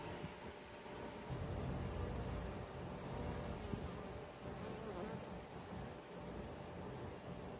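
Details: Honey bees at urban hives kept in Ontario, 2024: a dense, steady low hum of many wings droning without a break, with slight swells in loudness and a faint hiss above.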